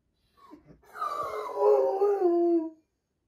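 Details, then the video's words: A large Doberman wails while its sister is in surgery: faint whimpers first, then one sustained, quavering howl of nearly two seconds that slides gradually downward in pitch before stopping cleanly. "Big Doberman crying while sister in surgery"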